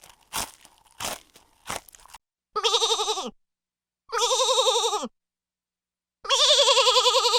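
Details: Goat bleating: after three sharp crunching clicks, three loud wavering bleats follow, each about a second long, with a trembling, vibrato-like quality and a slight downward slide at the end of the first two.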